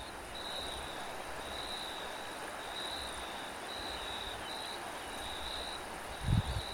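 A cricket gives high, steady chirping trills, repeated about once a second over a low rumble of wind.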